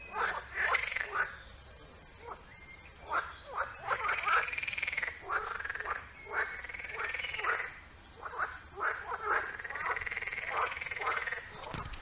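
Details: Frogs calling at a pond outdoors, in rapid rattling bursts of croaks that come in clusters every second or two and overlap from several callers, with a quiet background and a faint rustle at the end.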